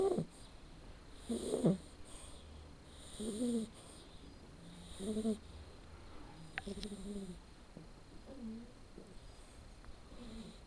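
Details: Sleeping male red Shar Pei puppy, Blacke EJ Terani, born 7 October 2013, snoring in soft, low, rasping bursts about every two seconds, each breath a brief throaty rumble over a quiet background hiss.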